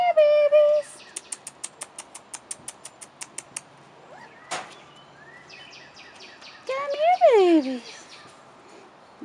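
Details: Rottweiler puppies, four and a half weeks old, outside for the first time: a short high whine, then a run of regular sharp ticks, a single sharp burst, and finally a loud whine sliding downward.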